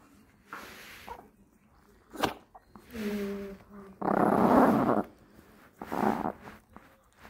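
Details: Dog growling to protect a beef rib: rough, noisy growls with a short tonal whine, rising and falling in several bursts, the loudest a one-second snarl near the middle, with faint speech nearby.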